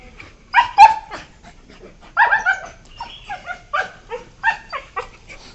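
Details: Young beagles, 1 year 4 months old, yelping during play on 12 September 2021: a cluster of sharp cries, a short pause, then a steady series of shorter yips and whiny barks.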